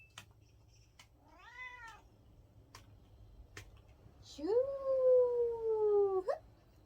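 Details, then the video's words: Cat meowing in a way that sounds like the Korean word for "no": a short, soft arched meow, then after a pause a long, loud, level meow that rises sharply at its start and cuts off abruptly. Quiet room with a few clicks. "'안해'라고 말하는 고양이"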